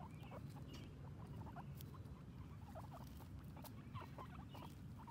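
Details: Two female guinea pigs outdoors for the first time, exploring and grazing on grass; scattered short high squeaks and chirps throughout, with soft rustling and a constant low background hum.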